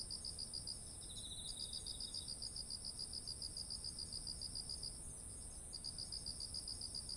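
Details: Insects singing in autumn next to ripe rice: quick, evenly beaded chirp trains broken by short gaps, a brief lower trill near the start, and a continuous high-pitched hiss from other insects behind, with soft low rumble.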